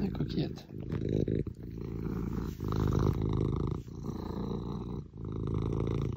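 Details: Cuddled female Maine Coon in a Normandy house purring; low, heavy rumble pulsing in long phrases of one to two seconds separated by brief pauses for breath.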